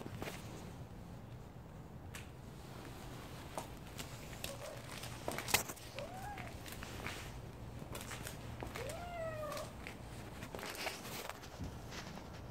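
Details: Stray calico cat in winter, giving a few short, soft meows, each a brief bending whine that rises then falls, spaced several seconds apart over a constant low hum, with scattered clicks and rustles.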